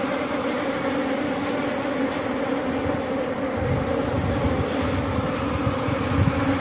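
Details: Honey bee colony buzzing during a honey harvest at Glodok. The droning hum runs throughout, partly muddied by a low rumbling background noise.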